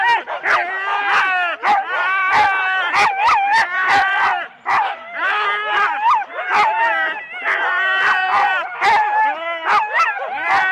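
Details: Four-dog Husky teams at a sled start in Rendlesham, January 2016, taped on analogue cassette: loud, steady yelping and barking from several dogs, rising whines and quick bark bursts overlapping, with a brief lull midway.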